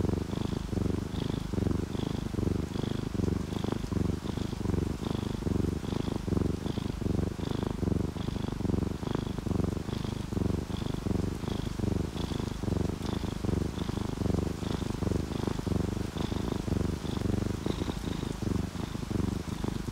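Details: Domestic cats, an orange tabby and a calico, purring while asleep and relaxed beside rain: a steady, deep rumbling purr that swells and fades about every 0.8 seconds, with a faint high pulsed tone above it.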